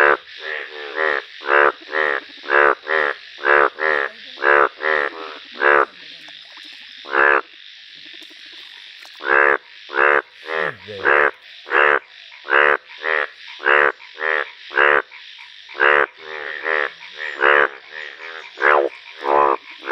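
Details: Yellow-coloured Indian bullfrog calling in nature: loud, harsh, nasal croaks in rapid series, about thirty in twenty seconds, bursts of one to two per second broken by short pauses, some calls overlapping from nearby frogs.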